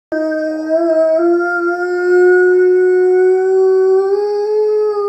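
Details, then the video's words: Pet dog indoors howling along with Norwegian wolves on a television nature programme: one long, steady, mournful tone held for about five seconds, rising slightly in pitch toward the end. "Uncontrollably howling with the Norwegian wolves on Animal Watch"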